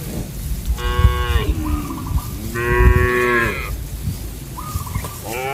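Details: Cattle on a grassy open farm field: two drawn-out lowing moos, each about a second long, with shorter, higher calls in between and a low rumbling background.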